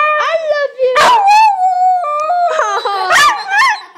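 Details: Pet dog Honey coaxed by her owners to say "I love you": a long wavering howl-like vocalization gliding around a mid pitch with rising and falling bends, a loud burst near the start and more short yowls toward the end.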